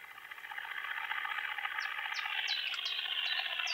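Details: Song of Conocephalus dorsalis, the short-winged conehead, recorded at Hirschau, Germany, 27 July 2019: continuous fast-ticking buzz that slowly swells in loudness, with a series of short, high bird chirps over it in the second half.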